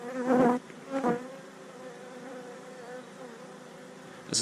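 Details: Honey bees from a colony being removed from a wall cavity and chimney stack in West Sussex, 2019; two short loud bursts of buzzing, then a softer continuous hum and a sharp noise at the close.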